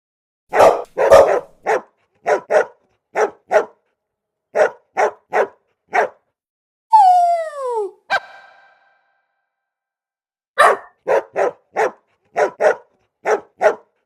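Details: Golden retriever puppies barking in quick, sharp yaps, mostly grouped in twos and threes. A single descending whine-like squeal sits midway, and a short silence follows before the yapping resumes.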